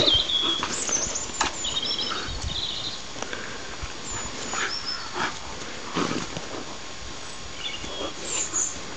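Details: Conker, a small neutered terrier, playing with Zelda, a large female Vizsla, outdoors: short broadband yips and scuffling grunts scattered irregularly, with small birds chirping high in the background.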